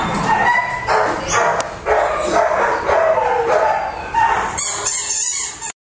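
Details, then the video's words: Pomeranian, described as sick, lets out plaintive, wavering whimpers in quick succession, pitched high and harmonic-rich. A rustling noise takes over near the end before the sound cuts off. "One Sick Pomeranian Dog"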